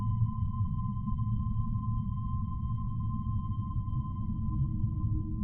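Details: Humpback whale song: one flat, sustained mid-pitched tone with harmonics holds throughout, with faint lower tones appearing late, all over a dense low underwater rumble.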